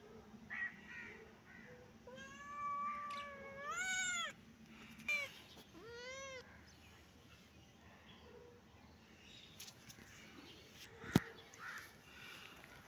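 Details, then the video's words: Kitten and cat playing, meowing: a cluster of rising, arched meows in the first half, followed by quieter rustling and a sharp click near the end. "Baby kitten and cat playing 😺❤️-happy mood-kitten and cat meowing"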